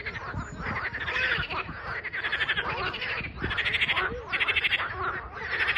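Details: Many frogs calling together on 21 April 2023, rapid clicking trills rising and falling in loudness in bursts about a second apart, with occasional softer croaks below and steady low noise.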